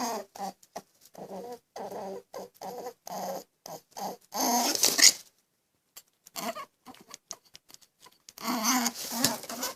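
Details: Displeased rabbit making a quick series of tiny clipped grunts, then a louder hissy burst, a pause, and a final rough, noisy outburst.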